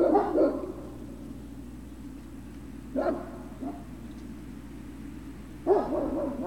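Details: Great Dane puppies at Puppy Hill, recorded 3 June 2019 in the afternoon: a burst of yips at the start, then single short barks near three seconds and again near six, over a steady low hum.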